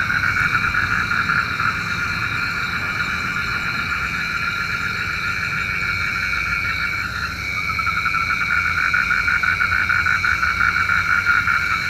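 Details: Frogs croaking at night, a sound said to summon rain: fast pulsed trills around three per second, briefly pausing midway then resuming, over a constant shrill insect-like hum and faint low noise.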